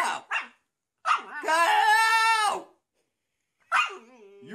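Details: Pet dog in a bathtub giving a drawn-out, wavering howl-like cry with rich harmonics, preceded by short yelps and followed by another rising whine, while a person coaxes it out of the bath.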